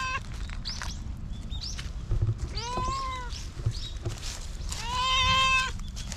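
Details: Formerly abused stray cat in Japan, now trusting people again, giving several thin meows, one longer drawn-out meow near the end, over a steady low rumbling background noise.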